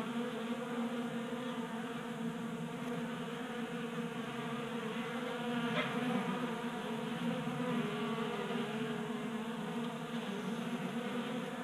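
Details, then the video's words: Swarm of honey bees feasting at a 3D-printed feeder on a garage workbench in Colorado during an unseasonably warm January. Dense, continuous humming drone with rich stacked overtones and faint hiss throughout. "45 Minutes of Honey Bees Feasting from 3D Printed Bee Feeder ASMR"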